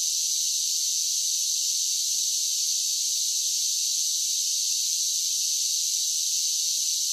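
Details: Summer cicadas singing in a dense, shrill, continuous buzzing drone that holds steady and even throughout, with no other sounds heard.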